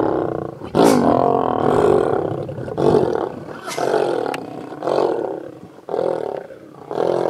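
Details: Lions of a mega pride feeding on a buffalo in the road near Satara rest camp, Kruger National Park, South Africa; deep rough roaring and growling bursts roughly once a second, overlapping, with brief pauses between outbursts.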